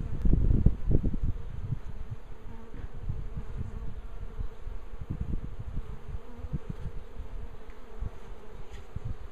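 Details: Bees swarming on a tree make a continuous buzzing drone, with strong low thumping rumbles at the start that ease into a steadier hum.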